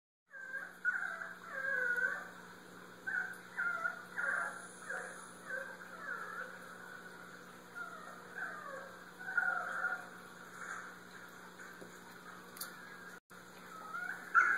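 A Basenji gives a run of wavering, yodel-like barks and yelps over a low steady hum.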